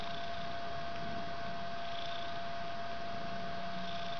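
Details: Continuous low, throbbing purring from a mother cat and her three-week-old white kitten in a bedroom, soft and even across the clip, with a faint steady hum behind it.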